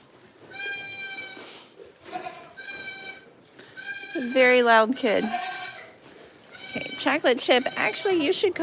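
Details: Goats on a farm give high, steady, drawn-out bleats, three in the first few seconds, then a person talks over further calls toward the end.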